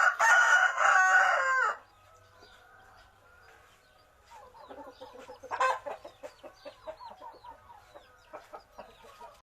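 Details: Gamecock kept for fighting in a village opens with a loud, raspy crow lasting under two seconds, then falls to soft, rapid clucking about four times a second, broken by one brief louder squawk.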